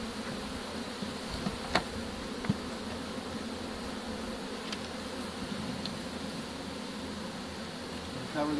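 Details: Honey bee swarm being captured with a pole bucket and dumped into a hive, recorded 25 March 2015; steady dense buzzing throughout with a few sharp clicks and a person speaking nearby.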